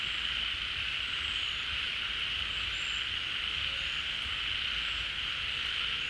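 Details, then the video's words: A pond chorus of frogs, which come out when rain returns water to the pond. A thick, even buzzing hum continues without pause, dotted with occasional faint high whistled notes. "เสียงฝูงกบร้อง Relaxing Sounds of Frogs, カエルの音, 青蛙的聲音"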